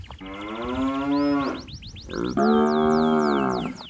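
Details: A calf calls for its mother among healthy cattle in a flooded paddy: two long moos back to back, the second louder and slightly higher, against a chorus of rapid, falling bird chirps.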